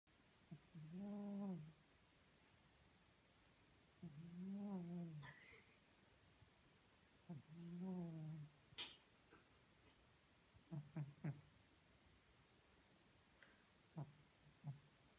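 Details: Maine Coon cat from Tolyatti snoring while asleep: three low, buzzy, harmonic snores about a second long, spaced roughly three seconds apart, followed by scattered soft clicks and snuffles.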